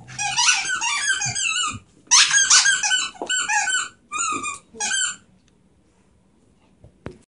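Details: A Beagle/Terrier mix rescue dog giving high, squeaky whining yelps in a small room; a long wavering whine, then several short squealing bursts, ending in quiet.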